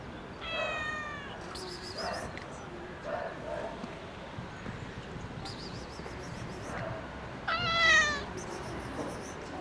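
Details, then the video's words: Park cat meowing toward a balcony, begging for food to be thrown down; two clear harmonic meows, one early and a louder drawn-out one near the end, with birds chirping and distant urban hum. "The cat meows towards this balcony every day and wants the sausage rain to start."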